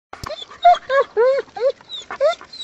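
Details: German Shepherd dog on a hike in the woods; a run of about six arching, whining vocal notes, each rising then falling, spaced roughly every quarter second, with a sharp click at the start.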